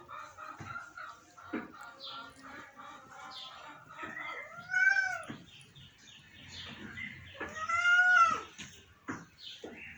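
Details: ['A sick pet cat gives two drawn-out, arching meows, one near the middle and a louder one toward the end, over faint indoor background sounds and scattered clicks.']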